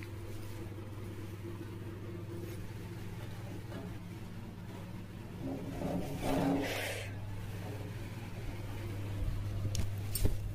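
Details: A low, steady motor hum runs throughout, with a brief swelling rush of noise midway and faint speech, but no animal sound.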